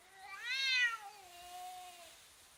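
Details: Cats intimidating each other in a fight let out a strange sound, one loud wavering yowl that swells quickly, peaks just before one second, then trails off in a long lower moan.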